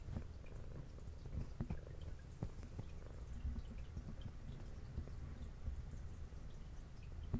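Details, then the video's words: Adult female brown tabby cat with white underside purring while eating indoors; a low, steady rumbling purr runs throughout, broken by sharp clicks and wet smacking sounds of chewing in a small room. "Cat Purring"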